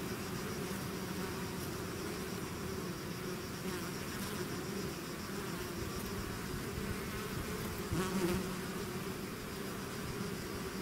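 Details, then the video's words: A bee swarm outside its hive hums steadily, dense buzzing throughout with one bee passing loudly near the microphone toward the end, briefly swelling the sound. "bees therapy swarm natural buzzing sound"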